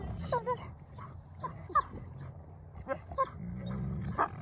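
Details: Wolfdog; growl; puppies competing over a possession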